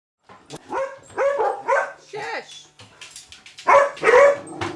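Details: Vizsla puppy named April, indoors with the house cat Maggie, giving a run of high yelping barks with bent, rising-falling tones, several close together, with a few soft human voice sounds between them.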